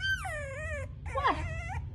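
A French Bulldog puppy gives two high, wavering whines, calling for its mother.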